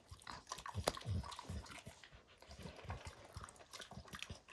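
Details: A dog named Max crunches and bites at a baseball, shredding its hide. Thick low chomps mix with crisp cracking and tearing noises in an uneven, busy rhythm.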